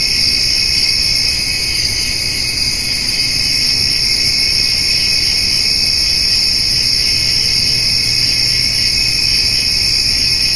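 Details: Crickets and grasshoppers give a steady, high, shimmering chorus of continuous trills on a summer evening while a white-tailed doe and her fawn eat hay.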